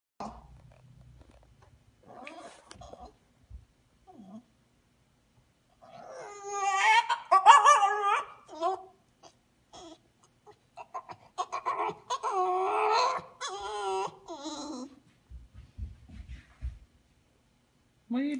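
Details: English Bulldog whining indoors beside a Labrador: wavering, high, nasal whines in two long drawn-out bursts, with short soft squeaks and snuffles between them, and a person briefly speaking near the end.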